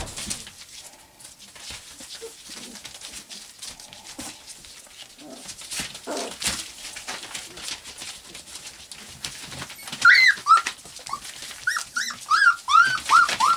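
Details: Four-week-old white English cream golden retriever puppies give high, squeaky whimpers in quick, uneven bursts after a quiet, rustling start.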